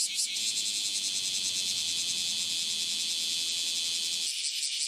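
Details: Cicada, known locally as tonggeret or garengpung, calling from trees; a loud, continuous high-pitched shrill buzz with a faint fast pulsing, holding steady before breaking off near the end.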